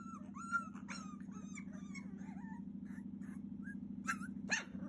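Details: A 42-day-old Cavalier King Charles Spaniel puppy whines insistently, wanting to be let out, over a steady low hum.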